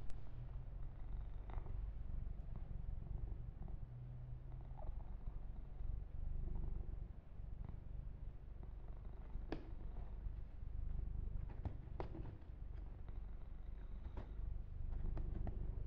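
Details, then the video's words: Yumak, a male pet kitten, purring steadily during a massage and fur grooming session, with close ear-to-ear miking: a low continuous rumbling purr, soft handling rustles and occasional brief clicks over the top. "Kitten Massage - Perfect Sleep Helper Ear to Ear Purring"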